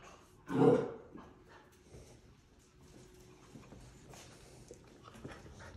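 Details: Gustl, a German Wirehaired Pointer (Deutsch Drahthaar) puppy in his third week of bench training indoors, gives one short, loud, harsh bark-like yelp near the start, then only quiet room noise follows.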